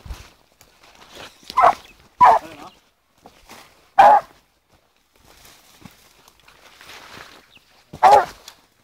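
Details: Young blue griffon female, fourteen months old, following wild boar scent, gives four scattered barks with a yelping tone among rustling vegetation and movement sounds.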